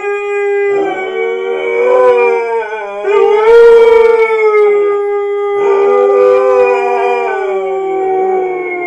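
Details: Siberian Husky morning howls: sustained harmonic howls that rise, swell and ease down, overlapping voices joining in, two main bursts with brief breaks and a slight quaver in the pitch.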